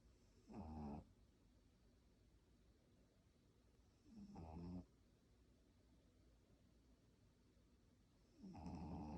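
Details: A sleeping pug snoring, three loud rasping snores with harmonic buzz, each about half a second long and spaced roughly four seconds apart, quiet breathing in between.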